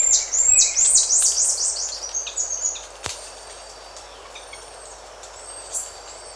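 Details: Buffy-headed marmoset contact and other calls recorded close up: quick, very high whistled notes sweeping up and down in a rapid series, then thinner high whistles fading out, with birds and insects faintly in the background.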